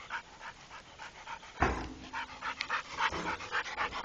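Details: Rako, a trained Pit Bull, panting fast at nearly four breaths a second; a sudden loud thump midway, then the rapid breathy rhythm carries on.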